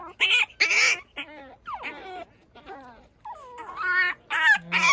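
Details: Pekingese puppy out early in the morning, tumbling about outdoors; high, bright whines and yelps with sliding rising and falling pitch come in short bursts with brief silences between them.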